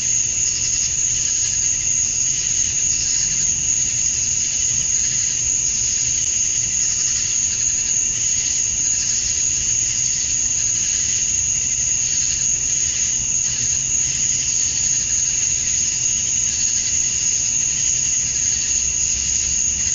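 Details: Cicada chorus of calling males at summer dusk in Georgia, USA, meant to attract females: continuous loud high buzz with a piercing constant tone above, faint rhythmic swells, and a quiet low rumble in the background.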